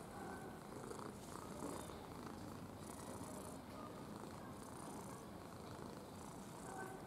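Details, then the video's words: Ginger domestic cat purring while being affectionate; a steady low rumbling purr with a fast pulsing texture runs unbroken through the whole stretch, quiet and close, with faint room hiss above. "Рыжий котик мурчун / Red cat purring"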